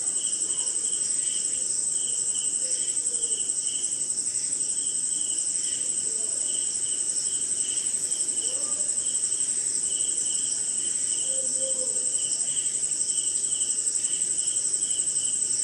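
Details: Crickets on a rainy night in an Indian jungle: a steady shrill trill high above, with a lower pulsed chirp repeating about twice a second, faint scattered calls beneath and a soft rain hiss throughout.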